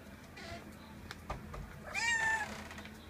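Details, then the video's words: A visiting cat meows once, a clear rising-then-falling cry lasting about half a second, preceded by faint rustles and soft thumps in a quiet indoor space. "Котэ пришло в гости =)"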